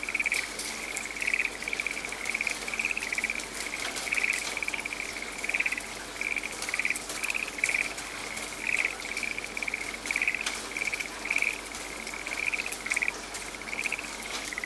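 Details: In a rain-soaked forest a frog keeps up a long, regular series of brief buzzy pulses, close to two per second, never pausing, while heavy rain pours and patters in the background.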